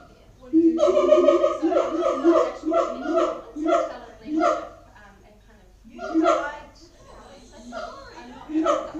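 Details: Siamangs at Auckland Zoo giving loud booming calls: rapid runs of harmonic barking hoots, about three per second, broken by short pauses and a second burst midway, with quieter hoots trailing off.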